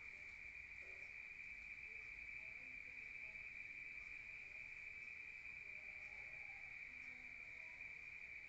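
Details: Night-time cricket chorus in the countryside, heard from inside a room: one constant high, ringing trill without pauses, with scattered faint low tones in the background.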